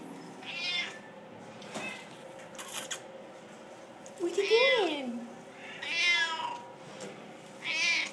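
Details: Siamese cats in Mesquite awaiting rescue give repeated meows, one long, wavering cry that rises then falls, others shorter and higher, spaced a second or two apart, with a person's voice and soft room noise.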